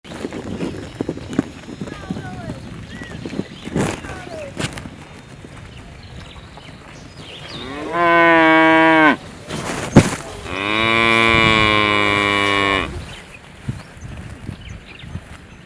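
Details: A cow (Bos taurus) gives two loud, drawn-out moos, the second longer and fuller, over a background of outdoor noise.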